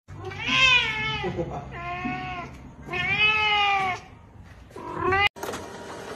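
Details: Kittens meowing, all talking at once: loud, drawn-out, slightly wavering meows of about a second each, four in quick succession, ending in a sharp click.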